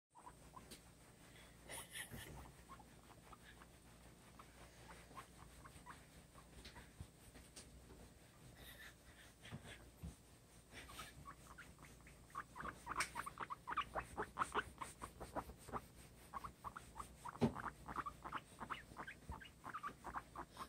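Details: A female guinea pig gives a fast run of short, high chirps after a stretch of soft rustling while being towel-dried after her bath, which she loves.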